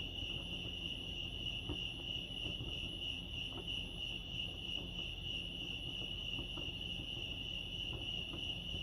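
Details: Crickets chirping at Lake Arrowhead, California: a steady, continuous high trill holding one pitch throughout, with faint low rumbling background noise.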